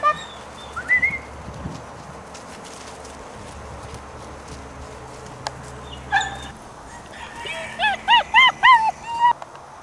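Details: Playing puppies giving squeaky whines: a brief high whine near the start, then a burst of rapid, repeated yelps and whimpers, rising and falling with harsh overtones, about four per second, over faint background noise.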